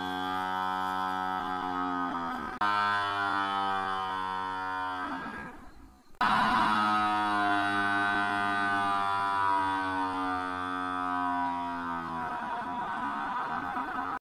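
A water buffalo gives long, deep, drawn-out moos, each holding a steady low tone.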